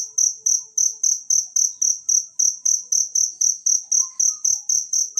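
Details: Cricket recorded in nature, offered as a tutor sound for training songbirds: a steady run of shrill, high-pitched chirps repeated about four times a second, each pulse even and ringing, with faint low thumps in the background.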